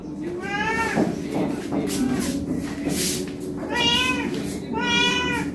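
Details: ['Hungry domestic cat meowing to ask for food: three drawn-out harmonic meows, one early and two near the end, separated by bursts of clattering noise and background chatter.']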